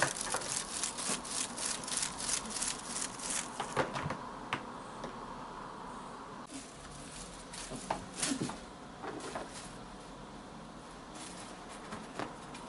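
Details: Ronnie, a female blue British Shorthair kitten eight months old, chattering and chirping indoors: a quick run of dry, rapid clicks through the first four seconds, then scattered sharper clicks and short bursts in a quiet room.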